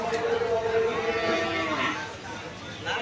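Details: Cattle at the Bhuighar cattle market ahead of Eid al-Adha 2024; a drawn-out, droning moo fills the first second, then fades under men's voices and the general chatter of the busy market crowd.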